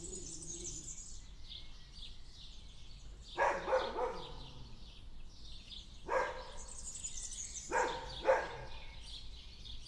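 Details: Dog in a backyard giving sporadic barks, a short cluster near the middle followed by paired barks later, while birdsong and high chirps continue throughout behind it.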